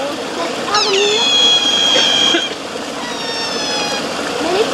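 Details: A Eurasian otter at Zoo Basel, one of a boisterous group, gives high, thin squealing whistles, one long and steady, then a shorter one.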